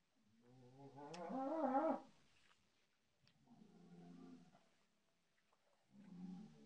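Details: Cattle lowing, from a look at cattle pens and breeds of Madura, Java and Sumatra: one long wavering moo with a rising-and-falling pitch, then two shorter, softer moos after quiet pauses.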